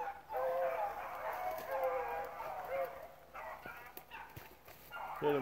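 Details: Rabbit dogs with several pups in the pack give a dense chorus of musical bays while running rabbits at Relay Hunt club. The chorus fades after three seconds into scattered yelps, rustling and a closing voice.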